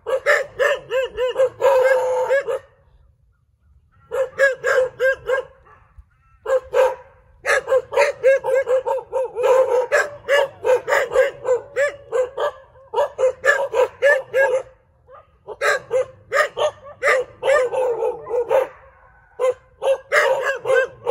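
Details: Several dogs bark together in a street in dense, overlapping volleys, a few barks a second, broken by two brief lulls, the calls mixing sharp yaps with deeper bow-wows.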